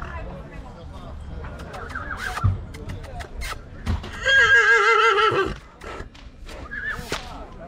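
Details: Heavy draught stallion kept for breeding near Oradea, Romania, gives a loud quavering whinny of about one and a half seconds, its wavering tone sliding downward, amid people talking and scattered knocks.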